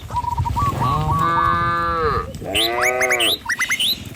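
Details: Cattle herd driven by a herder along a village road lined with trees and rice fields, in a light breeze; drawn-out, wavering moos from several cows overlap, with bright rising chirps and whistles above and steady background rumble.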